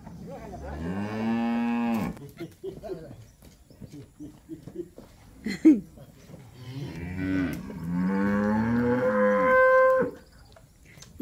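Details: Calves in Campeche, 20 August 2022, while people help them: two long, loud, drawn-out moos, the first steady and deep, the second rising and ending in a strained, higher tone, with excited voices in between.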